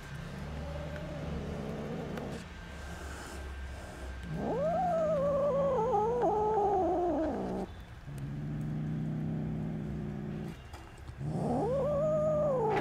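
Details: Five hostile kittens, about two months old, growl and yowl at someone offering food while the mother cat tries to calm them. Low droning growls alternate with loud, wavering, rising-and-falling yowls, repeated three times.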